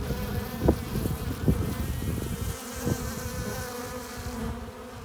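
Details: Bees coming and going at the mouth of a hive, carrying nectar and pollen; a dense low buzz with a few sharp close fly-bys, the hum thinning slightly toward the end.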